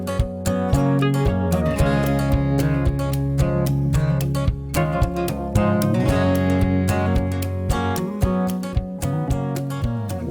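Strummed acoustic guitar music plays steadily with no animal sounds present.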